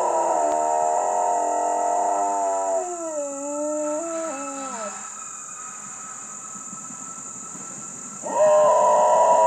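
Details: A female dog howls in response to a fire siren. A steady, droning siren tone opens the recording, then a wavering, bending howl follows. After a quiet stretch, the siren swells loudly again.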